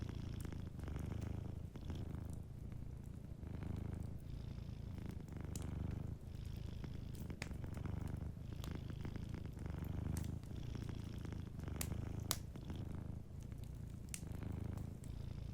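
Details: Sleeping cat purring softly beside a fireplace: a steady low rumble pulsing in long breaths, each lasting about a second, with sharp crackles and pops from the fire scattered throughout.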